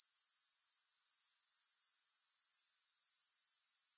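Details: Grasshoppers give a high, hissing trill made of rapid pulses about four per second. It dips to near silence for under a second, then swells back to a steady shimmering chorus with no music.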